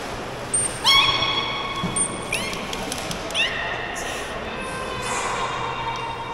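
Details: Beluga whale at an aquarium giving bright, squeaky whistles and mewing calls, broken by quick clicks, over a faint murmur.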